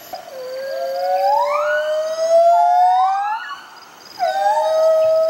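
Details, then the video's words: White-handed gibbons Bella and Dexter, a rehabilitating pair at the Gibbon Conservation Society, singing their duet: long rising whooping notes climbing smoothly in pitch, a brief pause, then another sustained rising wail. "White Handed Gibbons, Bella & Dexter Duet"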